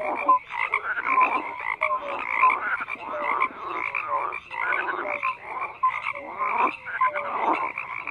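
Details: Many frogs calling together in a thick, unbroken chorus: raspy pulsed croaks mixed with brief whistle-like notes that recur every second or so.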